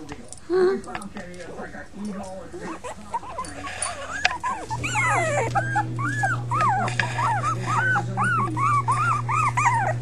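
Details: Five young puppies: scattered soft squeaks at first, then a steady run of high arched whimpers, with a person speaking and a low continuous hum.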